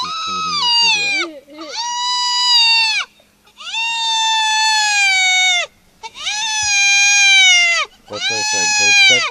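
A spotted hyena gives drawn-out, nasal, squealing calls, each held for about a second with short breaks between.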